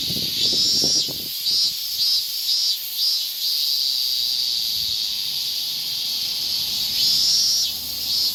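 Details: In Japanese summer, a higurashi cicada gives short high pulsed phrases that rise and fall over a continuous shrill insect hum, with faint low knocking near the start.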